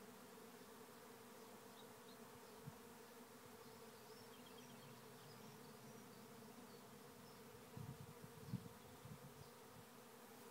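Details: Honey bee swarm entering a trap hive in Rathcabbin, County Tipperary, Ireland, thousands of bees: a continuous low droning hum, with faint high chirps from small birds in the background and a few soft knocks near the end.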